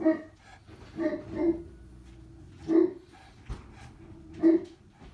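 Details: Great Pyrenees pair, Blanche at the west upstairs bay window and Lee at the east one, on watchdog duty; deep barks come in short bursts of one to three, spaced irregularly, with quiet gaps between.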